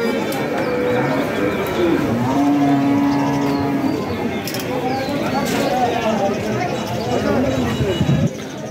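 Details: Cattle at a weekly cattle market in Gazipur, Bangladesh, tied up among cows and calves; a long, low, steady moo holds for about two seconds amid crowd chatter and speech.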